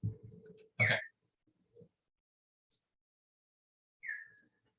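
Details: Big brown bat echolocation recorded while foraging around a yard in Eastern Ontario, Canada, slowed down 16 times: brief downward-sweeping chirps after a moment of a person's voice.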